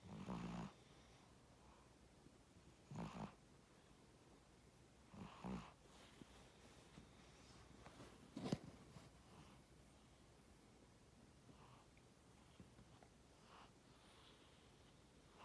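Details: Sleeping pet cat Tora snores steadily, short raspy breaths with a low throaty rattle recurring about every two to three seconds, separated by near silence in a quiet room.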